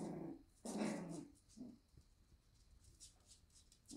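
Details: Morning Shiba Inu puppies at a breeder in the Netherlands; short nasal whimpers and a longer grumbling whine near the start, then quieter rustling and soft scratching.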